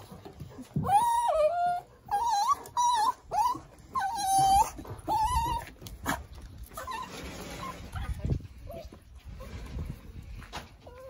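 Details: Male tricolour Cavalier King Charles Spaniel in Fukuoka, Japan, turning cat-like at peak excitement while playing: a run of about six high, mewing whines, each half a second, rising then held, with faint rustling and a woman's voice afterward.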